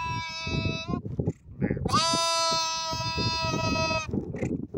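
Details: Sheep giving a short bleat, then a long, loud, sustained bleat lasting about two seconds, with rich harmonics, over constant low shuffling and rumbling noise.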